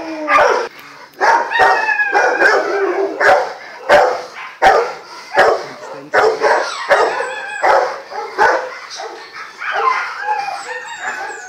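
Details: Rottweiler stud Geneson giving a steady run of harsh barks, some with yelping, whine-like tails, punctuated by sharp clicking or knocking sounds throughout.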